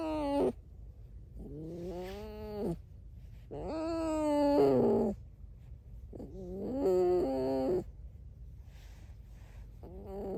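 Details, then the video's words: Pet red fox giving a series of squeaky, nasal whining calls, each about one to two seconds long with wavering pitch, about four bouts with quiet gaps between them. "Алиса - лиса. Скрип без разговоров"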